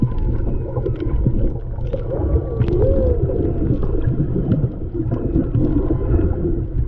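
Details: Humpback whale song recorded underwater by a snorkeler off Maui, Hawaii, in February 2020: low moans and gliding, rising-and-falling tones over a steady underwater rumble.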